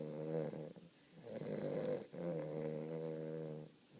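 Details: Weimaraner puppy taking a deep nap, giving three long, raspy, vibrating snores in quick succession, each a steady low buzzing rattle, recorded indoors in a quiet small room.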